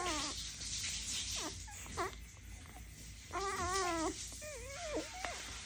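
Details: Dalmatian puppies crying indoors: repeated high, wavering whines and squeals, some drawn out for nearly a second, others short and bent, with a constant hiss behind them.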